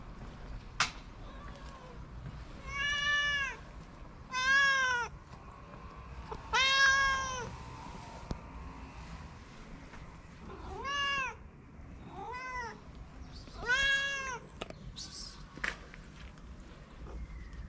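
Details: Tuxedo stray cat living on a street in Morocco, fed daily, gives a series of seven clear, drawn-out meows, each slightly rising then falling, spaced one to two seconds apart, over faint outdoor background hum.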